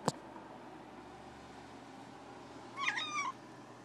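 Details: Tali, a pet cat, meows at a bird it wants: a single short, tonal, slightly wavering meow near the end, with rich harmonics. A sharp click opens the clip, over a low steady indoor hum.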